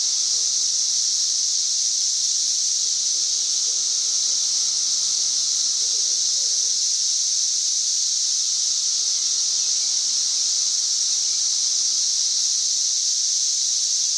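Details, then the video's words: Cicada chorus in trees, recorded May 31, 2024, reaching over 91 dB: a continuous, steady, loud hissing drone without breaks, high-pitched and unchanging throughout, with a faint low hum beneath. "91+ dB Cicada Singing."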